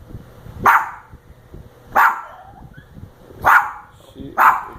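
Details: Pet dog Lilly barks at a person sleeping and snoring a little: four short, sharp barks about one second apart, with faint low rustling between them.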